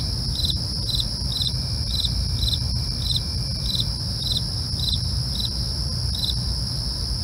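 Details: At night, crickets give steady pulsed chirps around two per second against a continuous shrill trill, backed by a constant low rumble.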